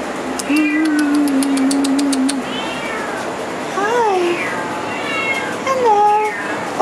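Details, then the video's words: Kittens indoors; one long, steady, flat meow at the start, then several shorter rising-and-falling mews, with a hissy background and a faint ticking series early on. "B Kittens"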